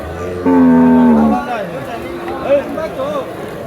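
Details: Cattle at a Saturday cattle market at Sarachar bazaar, held in heavy rain with thousands of cattle; one loud, steady, low moo lasting about a second, followed by a murmur of crowd voices and market noise.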